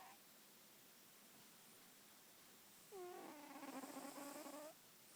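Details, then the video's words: Female cat asleep indoors. After a quiet stretch comes a single snoring breath of nearly two seconds, a wavering, buzzy tone with rich overtones and a slight rise at its end. "My cat snores"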